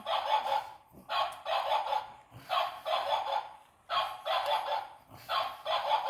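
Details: Pug playing and being told not to bite, another small dog nearby; rough, breathy bursts about half a second long, repeated in a steady rhythm of roughly three groups every two seconds, with a woman speaking Polish between them.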